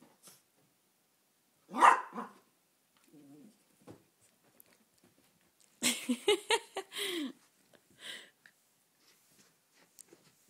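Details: Yorkshire Terrier playing with his new ball: one sharp, loud bark near the start, then a cluster of rough, harmonic vocal sounds mixed with a man's voice talking to the dog, and a few soft thuds in between.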